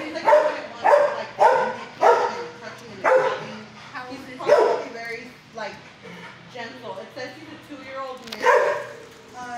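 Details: Six-year-old shelter dog Fozzie Bear, kennel 19 at HSSAZ, barking at first before settling. Sharp barks repeat roughly every half second for several seconds, thin out briefly, then one loud bark returns.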